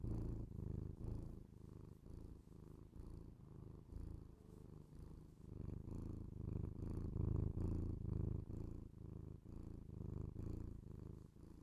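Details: House cat's purr captured binaurally for ASMR: low vibrating rumble in quick breath-linked pulses, softer in the middle stretch and swelling louder after six seconds.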